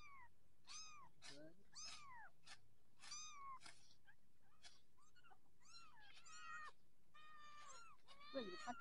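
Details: Persian kittens, possibly orange ones, shown growing up: a rapid run of high, arching mews, several overlapping and rising then falling, about three per second, with sharp clicks between them and a low background hum.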